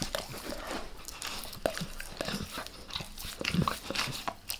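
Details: Max the dog licking his owner's face at close range, recorded for ASMR with no talking: a run of wet, smacking tongue clicks and slurps, irregular and quick, some sharper smacks standing out over a soft room hush.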